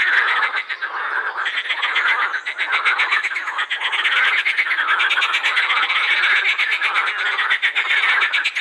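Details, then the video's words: Pond chorus of edible frogs at Krebsenwasser in Vienna's Prater, a continuous wall of fast, evenly pulsed rattles, about four pulses a second, with overlapping croaks from several callers. "Teichfroschkonzert am Krebsenwasser"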